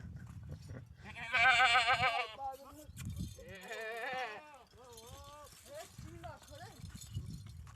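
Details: Goats bleating amid human speech: a loud wavering bleat near the start, then a second quavering bleat and a few shorter wavering cries, with talking between them.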